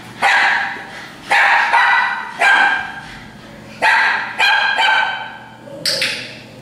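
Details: Barking in a dog daycare group at Tails-A-Wagging, a setting known for nuisance, alert and demand barking: six loud, sharp barks come roughly once a second, the final one a higher, thinner yip, with a faint low hum behind.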